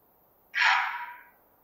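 A roe deer buck gives a single hoarse, harsh bark that starts abruptly and fades quickly.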